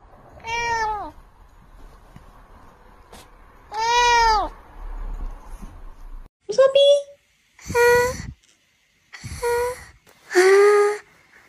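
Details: House cats in a funny compilation: a series of six clear meows, some rising and some falling in pitch, spaced one to two seconds apart, with indoor room noise between them.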